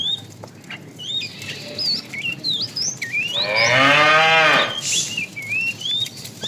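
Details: A tame cow in a herd roaming for food in the morning lets out a hoarse, wavering moo of nearly two seconds, surrounded by steady chirping and whistling from small birds.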